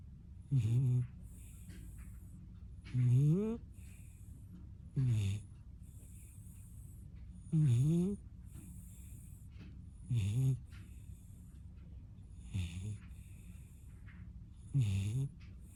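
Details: Puppy known for its snoring, fast asleep: seven deep, buzzy snores across sixteen seconds, spaced roughly two to two and a half seconds apart, some rising slightly in pitch, with quiet breathing hiss in between.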